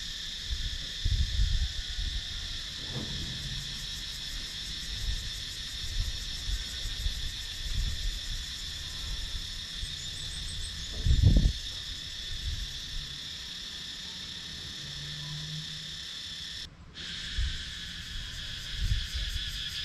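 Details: Continuous high, shimmering drone of cicadas fills wooded countryside in Sakon Nakhon, Thailand, captured on a GoPro Hero 9 camera; low knocks and rumble come and go underneath, and the sound briefly cuts out near the end.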